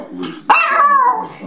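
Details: A female Jack Russell Terrier gives a single sharp, high bark that drops slightly in pitch, prompted by key words like hungry, goodies, walkies and "go for a ride".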